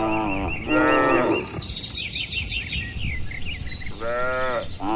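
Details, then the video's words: Herded tame cattle grazing freely on green land: one strong moo opens, then a pause filled with chirping birds and soft breeze, before two more moos close the passage. "Suara Alami sapi & Moo Lucu"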